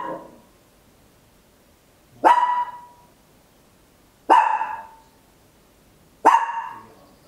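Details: A tiny Papillon dog indoors at home gives sharp, loud, high single barks, spaced about two seconds apart.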